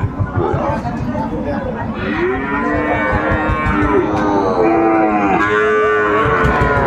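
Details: Sahiwal bull calves at the Ambari cattle market, Dinajpur, Bangladesh, in March as Ramadan begins, give a series of long, tonal moos that swell and bend in pitch, one after another, over a noisy, thumping market background.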